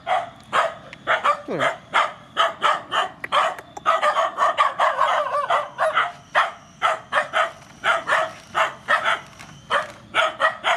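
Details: Rescue mother dogs and puppies at feeding time bark steadily, short sharp barks repeated about twice a second across the whole stretch, with a brief whine near the start.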